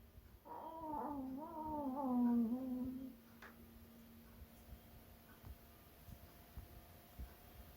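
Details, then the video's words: Yorkshire Terrier pet dog making a strange sound indoors: one drawn-out, wavering, nasal whine lasting about two and a half seconds that dips and rises in pitch, followed by quiet room hum. "이상한 소리를 내는 요크셔테리어"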